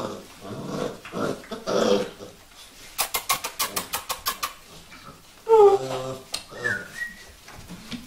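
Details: Vizsla puppies indoors: a quick run of tapping clicks, then short, high, falling whimpers and thin squeaks, with soft human voices at the start.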